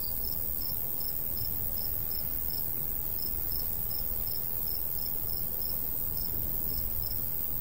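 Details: In a golden wheat field on a summer day, crickets give short high chirps in a regular rhythm, about three per second, with a faint continuous high hiss and light wind murmuring underneath.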